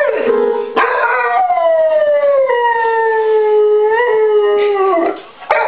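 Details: A dog singing along while music is played, giving one long, steady, tonal howl that slowly slides downward in pitch over about four seconds, then breaks off, with brief sharp knocks near the start and end.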